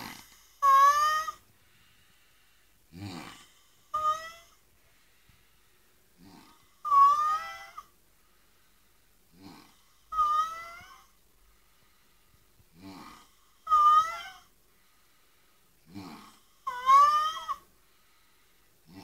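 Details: A sleeping dog snores with squeaky, whistling nasal tones that rise and wobble. Shorter, lower breaths come in between, and the pattern repeats roughly every three seconds in an otherwise quiet room.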